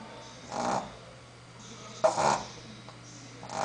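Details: Sleeping female Shih Tzu named Sophia snores in three soft, breathy rasping bursts spaced about one and a half seconds apart, each short and airy, with a quiet hum in the room between breaths.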